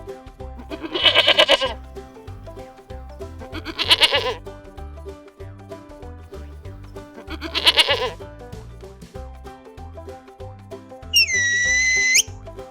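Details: Farm sheep bleating three times, spaced roughly three seconds apart. Each bleat is a brief, wavering, nasal call over continuous background music. A clear, high whistled tone enters near the end.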